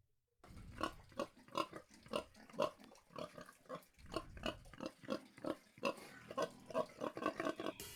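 A domestic pig grunts and oinks in a rapid, irregular run of short nasal snorts, several per second, with no other clear sounds.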